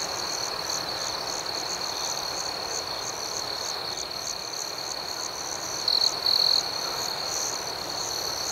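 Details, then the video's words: Nighttime crickets in gentle chirping ambiance, a constant shrill trill beneath quick pulsed chirps repeating about four times per second, with a short louder buzzing burst past the midpoint. "Soothing Cricket Sounds"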